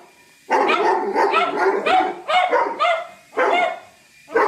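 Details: Doberman dog from a funny dog compilation, giving a run of loud, harsh barks in about five bursts over four and a half seconds, each bark rough and broadband with brief quiet gaps between.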